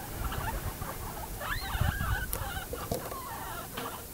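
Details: Pet guinea pigs giving short squeaks and chirps that rise and fall, several overlapping in quick irregular bursts over a low rumbling background with occasional clicks.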